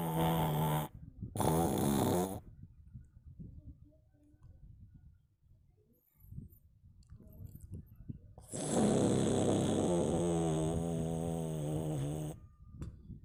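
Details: Domestic cat snoring in its sleep, slow low grumbling breaths repeating roughly every second during a quiet six-second stretch, with loud music playing before and after.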